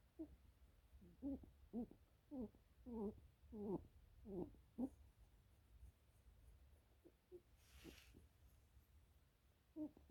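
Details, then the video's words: Pet lionhead rabbit being petted indoors makes short soft grunting honks, about ten quick pulses in a steady run over the first five seconds, then scattered single grunts; a brief breathy rustle near the end. "Bunnies make funny noise when I pet hem"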